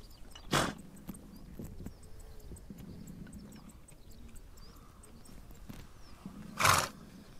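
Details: Horses on the Mongolian steppe: two short, forceful breathy snorts, one near the start and one near the end, separated by quiet shuffling, soft clicks and a low steady hum in the background.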